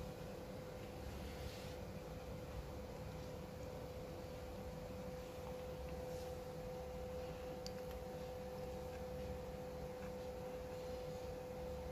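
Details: Quiet indoor room noise with a steady electrical hum tone and a faint low rumble, no animal voice.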